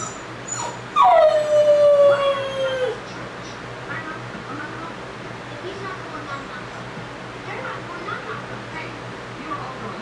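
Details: Puppy left alone for the first time, howling: a single drawn-out tone sliding down from high then holding steady for about two seconds, followed by quiet room noise and faint whimpers.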